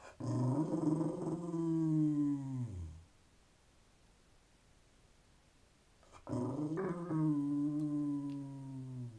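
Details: Terrier talking to its owner because it wants attention and thinks the owner should be doing something. Two long, throaty, moaning vocalizations that slide downward in pitch, separated by about three seconds of quiet.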